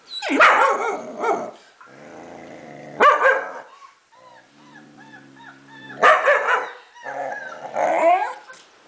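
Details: Four-month-old German Shepherd reacting to a recording of little German Shepherd puppies: loud, harsh barks burst out near the start, at three seconds, six seconds and eight seconds, with thin, high, curling puppy whimpers from the playback filling the gaps.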